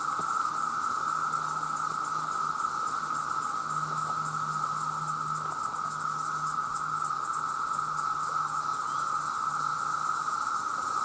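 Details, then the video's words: Millions of male cicadas cry out to attract mates, loud enough to harm hearing. Their continuous buzzing drone never pauses, with a faint low hum coming and going underneath. "The Sound of The Cicada"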